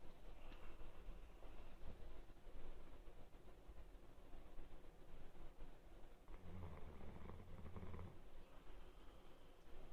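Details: Sleeping Labrador Retriever Rukura gives a single low rumbling snore lasting under two seconds near the end, after a long stretch of faint, breathy household background noise.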